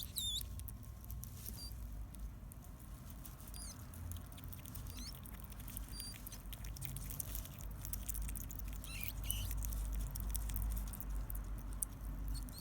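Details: Seven-day-old baby hedgehog, the smallest of a litter of four born in a backpack after the mother escaped her cage, on a morning in August 2016. High, shrill peeping squeaks come in short bursts while it searches for its mother, over faint rustling.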